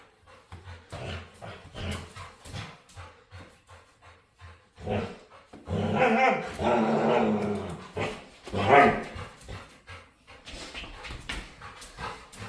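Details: Playful dog begging to play, giving a string of short low grunting growls that swell into whiny, harmonic moans around the middle and near the end, with brief pauses between bursts.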